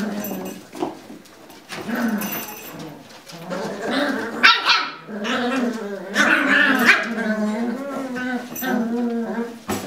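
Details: Several Lagotto Romagnolo puppies play-fighting in a puppy pen, giving nasal, wavering yips and short barks that overlap and swell in the middle seconds, with a brief thump around four seconds.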